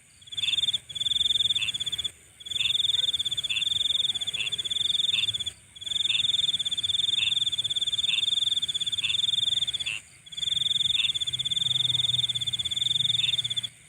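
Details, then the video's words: Insects calling at night: a continuous, high, ringing trill delivered in long bursts of about two to four seconds, broken by brief silent gaps, over a steady higher-pitched hiss and a faint low rumble. "Nighttime Insect Sounds"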